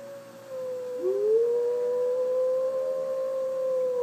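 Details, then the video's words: Young female puppy howling indoors in response to recorded wolf howls played back: a steady mid-pitched tone is joined after one second by a second smooth howl that rises, then holds long and level, with a faint higher overtone. "My puppy girl reacting to wolves howling"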